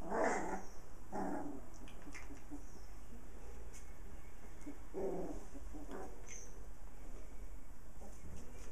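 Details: Playful puppies with their mother dog, six pups in all; a few sharp yaps and barks spaced a second or more apart, then quieter scuffling over a constant low hum.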